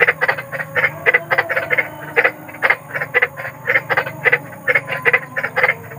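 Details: A large frog croaking in a dense series of short, rasping pulses, several per second, grouped in rapid bursts, with a steady low hum underneath.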